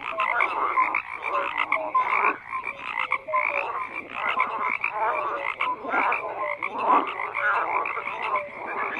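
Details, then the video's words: Continuous massed frog calling: rough rattling croaks overlap steadily, with occasional short whistled notes and bursts that swell and fade across the chorus. "FROGS CROAKING"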